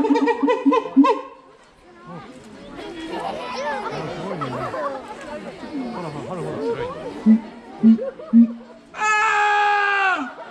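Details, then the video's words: Siamang Keiji at Higashiyama Zoo and Botanical Gardens, 7 February 2021: a few pulsed wails at first, then a stretch of visitors chattering and laughing, short low hoots, and a long loud tonal scream sliding down at the end. "『あ゛〜〜〜！！』おっさんの叫び声をするサル｜東山動植物園のフクロテナガザル ケイジくん｜Siamang screaming like an Uncle"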